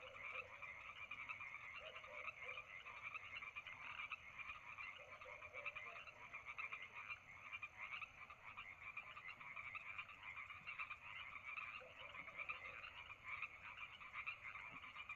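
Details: Nighttime frog chorus by Lake Madrone in summer: unbroken, densely layered trilling pulses throughout, with a few low, brief croaks early on and near the twelfth second.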